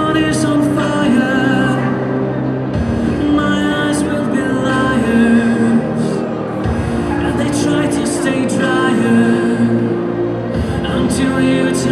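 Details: Loud recorded music with a steady beat and sustained melodic tones plays throughout; no animal sounds are heard.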